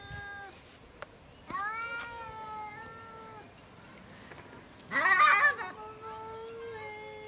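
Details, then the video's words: Two domestic cats making strange noises: a drawn-out, slightly wavering yowl, then a brief harsh, breathy burst like a hiss, followed by another long, low, sustained moan. "Two cats making STRANGE noises"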